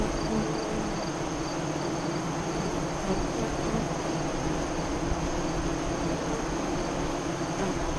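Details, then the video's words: Honey bees at the west-facing entrance of a hive 5 miles east of Lyons, Nebraska, during the 2017 solar eclipse, around 2:48-3:00 CDT; a steady, dense hum of many bees with faint tones of individual bees passing. "Honey Bee Hive Eclipse 2017"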